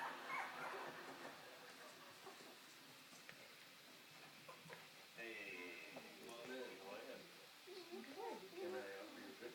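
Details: Two three-week-old puppies, one male and one female, born to a dog named Laika, give thin wavering whines and short yips in the second half. Human voices murmur alongside, with quiet room noise before the calls begin.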